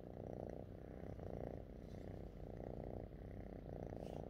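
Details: Domestic cat purring contentedly while happy with its owner; a steady low rumbling purr in rhythmic pulses, swelling and easing roughly every half second to one second, with no other clear sounds.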